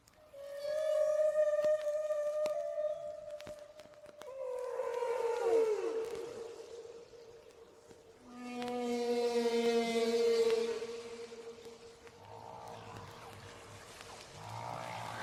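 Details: Humpback whale song carried on a Voyager spacecraft into space: long sustained tones, sweeping groans, then a low buzzy pulsed tone under higher harmonics, with short low pulses at the end.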